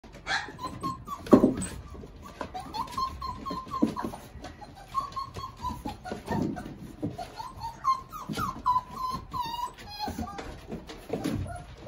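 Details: Several five-week-old puppies indoors give thin, high whines and whimpers, some wavering or sliding, in short bursts every second or so, with soft rustling and thumps in between.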